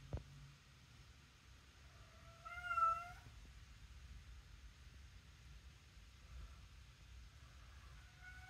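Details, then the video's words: A talking cat taking her own toy out indoors gives a clear wavering meow around the third second after a sharp tap, then quiet room hum, with another meow just starting at the end. "talking cat taking her own toy out"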